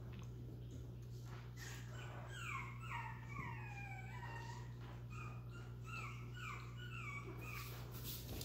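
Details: Chihuahua puppies in Missouri, among them a larger female puppy, whining indoors: many high whimpers that slide downward, in quick overlapping bursts of about two a second, over a constant low electrical hum.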